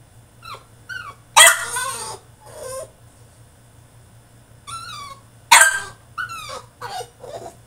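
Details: Caged French Bulldog in a tantrum, mixing short rising yips and thin whines with two loud, harsh, screaming bursts, the outcries coming in uneven clusters over a faint low hum.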